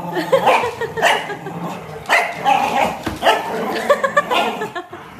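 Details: Corgi barking: a run of sharp, bright barks and yips, roughly one every second, with faint speech underneath.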